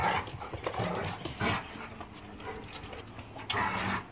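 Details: German Shepherd Boxer mix dogs in play, January 26, 2021: low rumbling growls and huffing breaths, a sharp bump near the end, faint speech in the background.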